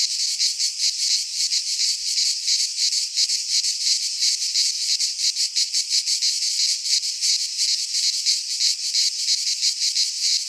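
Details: Greek cicadas in a pine forest during midsummer, buzzing together in a steady, piercing drone that throbs rhythmically several times per second; only insects heard.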